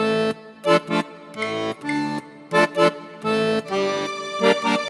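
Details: Lively accordion music plays in short bursts and sustained chords, with no animal sound heard.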